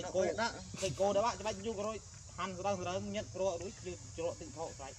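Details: Abandoned monkey crying very loud: a rapid run of wavering, quavering cries in quick bursts, each wobbling up and down in pitch, with short pauses between groups and a soft background hiss.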